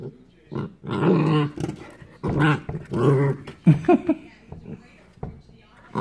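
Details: Corgi puppy Hiro at play during his first Christmas, slowed down: drawn-out, throaty growls rise and fall in several stretches, broken by short sharp sounds, with human voices mixed in, inside a small room.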